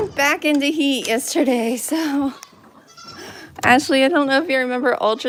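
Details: Goats at The Willful Goat Farm & Home, heard on a live stream: a run of short, wavering, nasal bleats, then a brief quiet gap, then more quavering bleats close to the microphone, with voices possibly mixed in.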